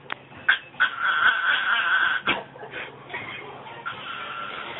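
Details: Female Yorkshire Terrier making her weird noises: a drawn-out, steady whining tone held for a second or two, broken by short sharp yips and snuffles, then a softer sustained whine toward the end.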